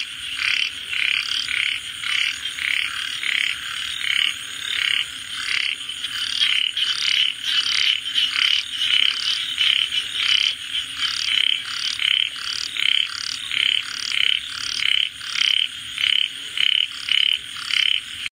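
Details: Frogs calling in a long run of evenly spaced raspy croaks, about one and a half per second, with the same buzzy pulsed texture throughout over a faint steady background hiss.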